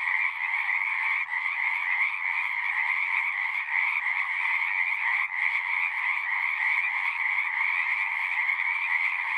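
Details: Many frogs sing at once, producing a steady, shimmering trill chorus without pauses, a high buzzing layer over a lower one, with only faint flickers in loudness.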